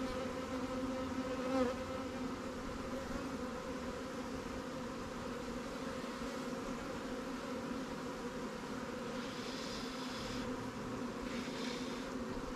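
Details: Honey bees in a newly captured swarm hive, Langstroth or Warré, during an apiary inspection while resources from stronger hives are shared. A steady, low droning hum with layered tones holds throughout, and faint higher buzzes appear near the end.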